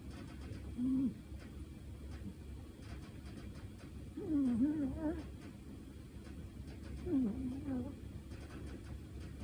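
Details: Sleeping cat named Shino-chan, dreaming and twitching, snoring softly; three brief, low, wavering murmured tones come at roughly three-second intervals over a quiet background hum.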